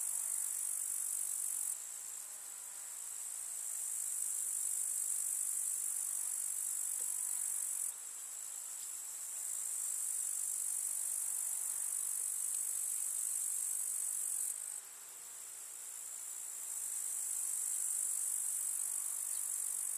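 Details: Grasshoppers in a summer meadow with wildflowers in the countryside: a dense, continuous high-pitched hiss-like trill with no pauses, swelling and dipping in loudness in several long stretches, over a quiet rural background.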